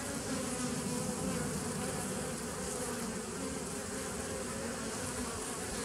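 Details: Bees producing a dense, continuous low humming buzz with steady tonal bands, a thick unbroken drone throughout with no other clear sounds.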